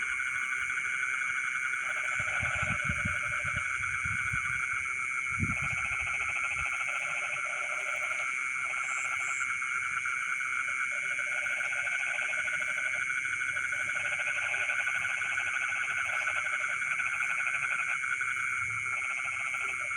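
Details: Frogs calling from rice fields in the middle of the night: pulsed croaking bursts of a second or two return again and again over a continuous insect drone. A few low thumps sound early on.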